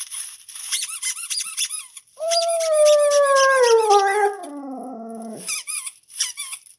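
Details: A Siberian Husky answers a squeaking noise it is trying to figure out, giving a long, drawn-out whine that slides steadily downward between bursts of rapid, high squeaking.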